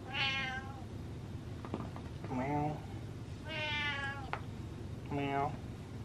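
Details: Domestic cat indoors, wanting affection, gives four drawn-out, harmonic meows at irregular intervals, some falling at the end, with a woman's voice talking softly in between.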